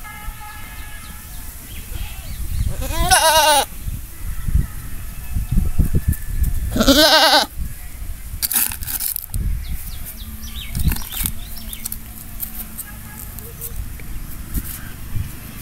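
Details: Goat giving two loud, quavering bleats a few seconds apart, followed by clattering knocks and scattered noises against a rumbling background.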